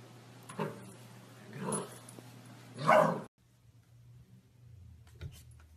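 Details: Golden Retriever in a funny dog compilation, letting out three soft, muffled woofs that grow louder, the last the strongest, before the sound cuts to near silence with faint clicks.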